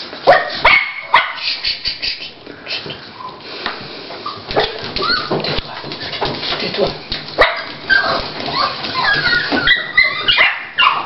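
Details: Toy Pinscher bitch Dolly, beginning to whelp indoors, gives a few sharp yelps or barks at the start, then thin, wavering whimpers and squeals toward the end, with human voices and rustling in between.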